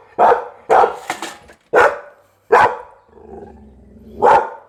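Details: Loud barks from a Pit Bull, several spaced under a second apart, with a brief low grumble between them before a final sharp bark.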